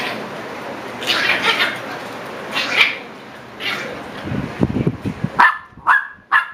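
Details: Seven-week-old Shiba Inu puppies: soft hissing breathy noises and low scuffling give way to a quick run of four short, high yelps near the end, each clipped and sharp.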